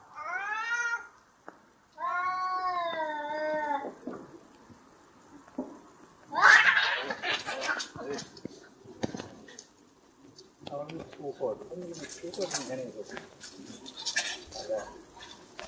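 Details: Two fighting cats trade two wavering, harmonic yowls, then an explosive hissing spit breaks out and gives way to scuffling, rustling noise with scattered short cries.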